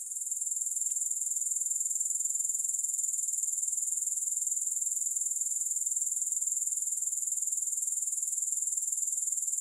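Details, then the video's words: Shrill, even insect trill attributed to grasshoppers, no music: rapid pulses at roughly four per second, strong and unbroken for nearly ten seconds after a short rise at the start. "Grass Hopper Sounds"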